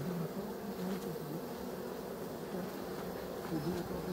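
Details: Dense honey bee hum, loud and unbroken, with wavering lower tones from passing bees rising and falling over the drone.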